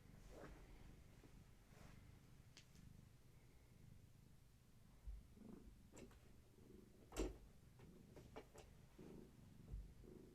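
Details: Gaia's kittens in the evening, offspring of a long-haired tabby domestic cat, during play time and leg massages indoors; a low, steady rumbling purr runs throughout, broken by scattered clicks and soft knocks.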